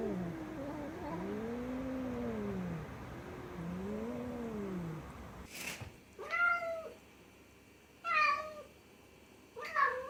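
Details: Loud cat vocalising: several low, arched moaning yowls at first, then a sharp click and three shorter, higher meows spaced about two seconds apart.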